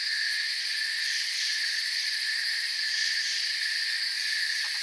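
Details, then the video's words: Crickets chirping in a calm night forest, heard as a dense, steady, high-pitched chorus of overlapping trills, with several shrill layers that run unbroken and no other clear sounds. "Forest Sounds and Crickets"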